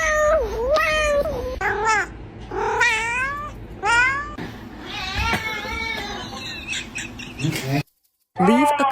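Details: Domestic cat giving a run of short, chirpy meows, each a quick rising-then-falling tone, repeated about once a second, with background music and a brief gap of silence near the end.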